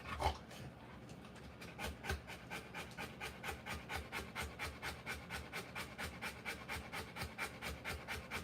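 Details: Rottweiler panting while giving birth to puppies: rapid, steady breathy huffs repeated about two a second, each a broad hiss with no voiced tone, keeping an even rhythm throughout.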